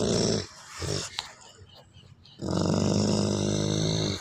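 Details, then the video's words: Wolfdog giving a deep, rumbling, harmonic growl indoors; a half-second growl opens, then brief grunts and a quiet pause, then a long, steady growl lasting almost two seconds. "wolf Dog sound"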